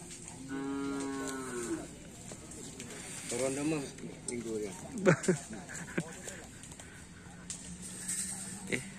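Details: Cattle from the Griduh Onggu karapan sapi bull race team, training on the Asemanis field in Madura, give a single even, low moo of just over a second at the start, followed by people talking nearby.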